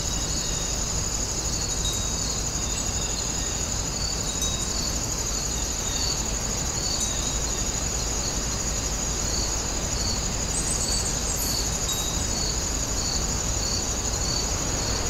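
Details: Grass insects at Woninjae produce an unbroken high-pitched ringing trill, layered with a lower pulsed chirp repeating about every half second, over a steady low environmental rumble and a brief bright tinkle near the end.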